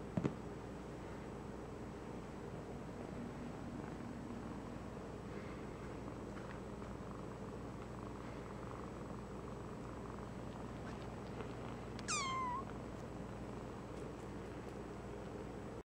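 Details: Three-week-old black tortie foster kitten purring while trying to suckle milk from a dog's stomach; steady low rumbling purr throughout, with one brief high descending squeak near the end.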